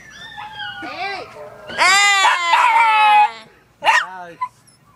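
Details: Chihuahua "singing": a drawn-out, harmonic-rich howl sliding slowly downward for about a second and a half, then a brief rising-falling yelp; Spanish speech and softer wavering vocal tones come just before.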